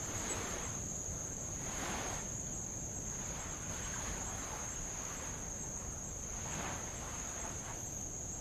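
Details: Insects of Avalau, Kingdom of Tonga, recorded on a row around the island beside old lava: a constant thin, high ringing drone continues without pause while gentle waves swell and hiss in slow washes.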